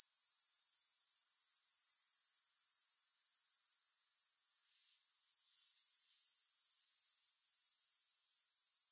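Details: Grasshoppers in a recording with no music: a shrill, very high pulsing trill runs steadily, breaks off near the middle for about half a second, then resumes at full strength.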